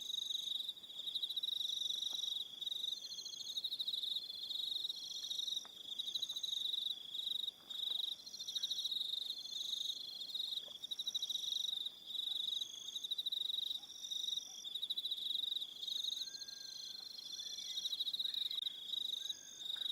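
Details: Evening insect chorus of crickets on Aroha Island, New Zealand: continuous shrill pulsing trills from several callers overlapping, with short pauses and a faint higher whistled tone drifting above.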